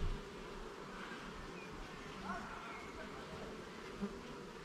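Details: Garden beehive under inspection, levels and frames being worked: honey bees give a soft, even droning hum, broken by a couple of quick louder buzzes as single bees pass near, with light handling knocks.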